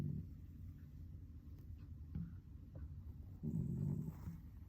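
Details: Sleeping house cat giving a single low, rough snore near the end after a quiet stretch of soft breathing, with another snore just fading at the start.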